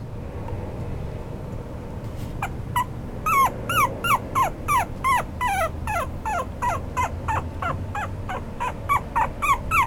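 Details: Apricot-coloured male toy poodle puppy giving a run of short, high, downward-sliding yelps, roughly three per second, starting after about two seconds of quiet room hum and growing steadily louder and more regular.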